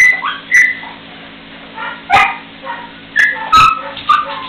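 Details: Three-week-old puppies at their first play together: high whining whimpers and squeaks, some sliding in pitch, broken up by several sharp clicks and bumps.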